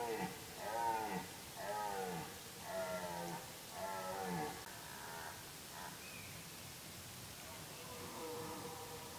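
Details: Red deer during the rut, with deer activity at its peak: four deep, groaning roars rich in harmonics, each about a second long, given in close succession, then quieter drawn-out moans and a brief high squeak.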